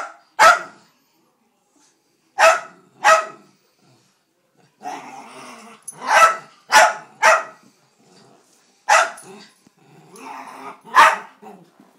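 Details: Bandit, a pet Dachshund, barks at the vacuum cleaner. Single sharp barks and quick pairs come at irregular intervals, some joined by rough, growly grumbles between them.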